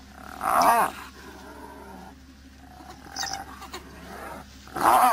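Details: Spotted hyenas threatened by wild dogs, calling out: a loud harmonic moaning call that rises and falls near the start, then shorter strained yelping bursts around three seconds and again at the end.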